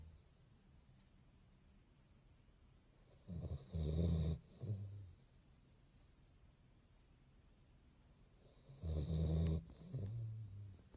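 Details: Basset hound snoring while asleep: two deep, rumbling snores about five seconds apart, each a low rough inhale with a shorter follow-on snort, quiet indoor background between.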